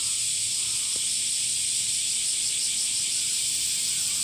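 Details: Male cicadas sing in summer by flexing drum-like tymbals in the abdomen, filling the air with a steady, high-pitched buzzing drone that holds unbroken throughout.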